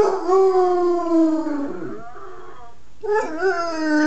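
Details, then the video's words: A 9-month-old Basset Hound gives long, mournful howls that slide slowly downward, then rise again. "Basset hound howling!"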